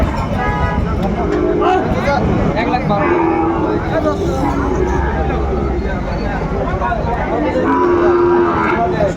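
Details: Sahiwal bulls at a cattle market in Dhaka, Bangladesh, on 14 February 2025. Low, drawn-out moos rise above a constant hubbub of bargaining voices and crowd noise, with some vehicle sounds in the background.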